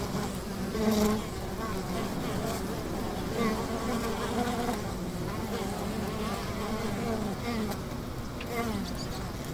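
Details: Many honey bees buzzing at a riverside hive, an unbroken low hum with faint shifting overtones and small swells in loudness near the start and middle.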